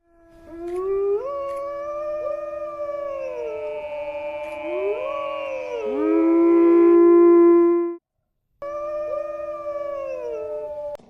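Several wolves howl together in long, smooth, sliding tones that overlap into a chorus.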